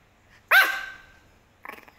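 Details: Single sharp, high-pitched bark from an angry Pomeranian puppy at a passing garbage lorry, trailing off into a brief growly tail, followed by a woman's voice saying no more.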